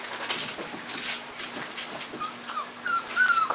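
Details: Puppies indoors, finally eating dry food, give thin, high whining whimpers that rise and fall in the last second, with soft clicking and a woman murmuring to them.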